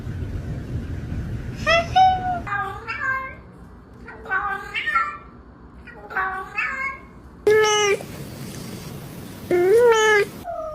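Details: Cats meowing, short mewing calls at first, then two louder drawn-out meows near the end that rise and fall; soft background hum throughout.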